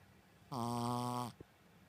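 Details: Sleeping Shih Tzu named Koron, a staff dog, gives a single steady human-like snore lasting under a second, rich and buzzy with even harmonics, followed by a soft click in a quiet room.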